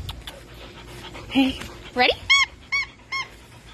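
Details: Pet dog at play with its owner, a couple of squeaky whines followed by three evenly spaced, sharp rising-falling yips about half a second apart, with a person's voice in the background.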